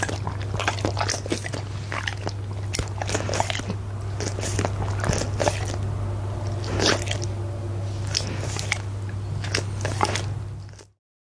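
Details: Punte, a goldendoodle, eats steak and eggs for dinner indoors, recorded with a Blue Yeti microphone; crunching, biting bites come in quick irregular bursts, about four a second, over a steady low hum, ending abruptly.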